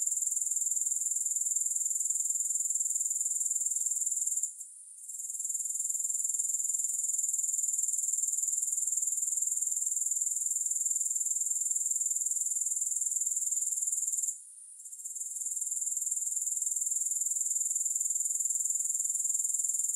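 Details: Dense, unbroken high-pitched grasshopper stridulation pulses about four times a second. Two short pauses come at roughly five and fifteen seconds, and each time the chorus returns.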